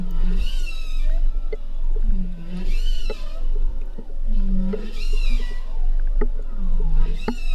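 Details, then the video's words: Bowhead whale calls recorded in the northern Bering Sea, Arctic, near St. Lawrence Island, for a bioacoustic study: low moaning tones with bright, rising overtones, repeating about every two seconds. "here's a recording of bowhead whales"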